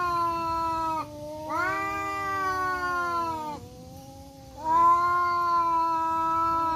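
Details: A black tomcat and a striped tomcat square off in woodland, trading nonstop growling caterwauls. Rich, wavering howls slide gradually downward, break off near one and four seconds, then swell again louder toward the end.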